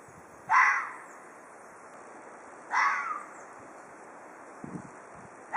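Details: Two rasping, scream-like threat cries from an Ezo red fox, about two seconds apart, each loud and abrupt, then a brief soft rustle near the end.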